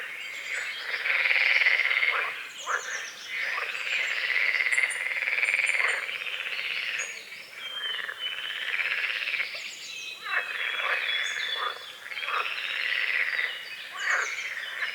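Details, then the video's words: Dawn chorus of frogs on a small forest-edge lake with fog, calamus and water lilies: a continuous, buzzy trilled croaking that rises and falls in waves every couple of seconds, with scattered high bird chirps over it. "The sounds of morning frogs croaking"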